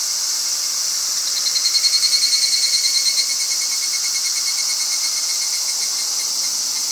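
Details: Higurashi cicada singing in a Japanese summer: a rapid pulsed trill of bright metallic notes swells, then fades over about two seconds, set over a steady high hissing drone of other cicadas.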